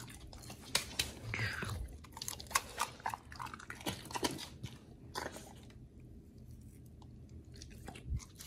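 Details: Oli and nomy, dogs fed a raw B.A.R.F. diet, chewing raw meat inside a small room: rapid uneven crunching and biting in the first five seconds, then quieter with a few late bites.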